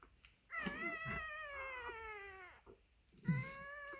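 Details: Maremma Sheepdog pup just born, giving a sustained whining cry that slowly falls in pitch over two seconds, a short pause, then another cry starts; faint rustling beneath.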